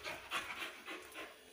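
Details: Suzi, a female Labrador Retriever puppy, pants during obedience training right after being told to spin: quick breathy, hissing bursts roughly every quarter second, carried mostly in the upper range, with no other clear sounds.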